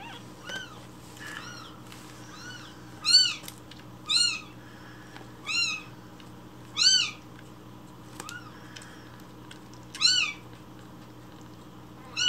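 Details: Rescued baby kitten demanding its morning milk with loud cries; loud, rising-falling high meows spaced about one to two seconds apart, with fainter calls between them and a steady low hum in the room.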